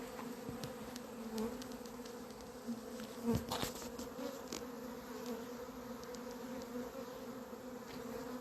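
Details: Swarming honey bees entering hive H on 28 April 2026, led in after scouts announced it; a thick, unbroken droning hum with a steady low tone and its overtone, plus a few brief ticks and a short louder burst midway.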